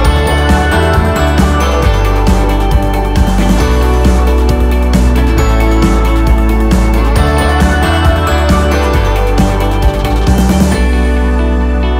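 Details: Steady upbeat instrumental music fills the whole stretch, with no animal sounds heard.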